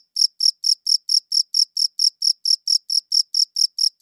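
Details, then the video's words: Chirping cricket giving a clean, even run of sharp high chirps, roughly four per second, evenly spaced throughout with no other sounds. "Cricket Chirping Sounds"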